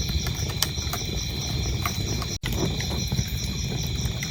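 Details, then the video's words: Crickets chirping in a continuous high, pulsing trill over a crackling fireplace, with sharp pops of burning wood and a low rumbling fire base throughout. "cricket sounds"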